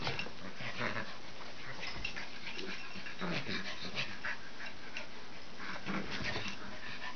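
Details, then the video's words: Norwich Terriers Brooklyn and Cooper, sister and brother, playing roughly together, Brooklyn beating up Cooper; scattered short growls and whiny yips through steady indoor background noise, with soft thumps of scuffling. "Norwich Terrier Play"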